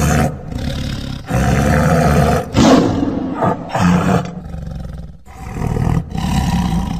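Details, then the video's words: Tiger roaring and growling: a run of deep, rough roars with strong low rumble, broken by short pauses and a few harsher bursts, over about seven seconds. "Tiger Sounds | Roar and Growl"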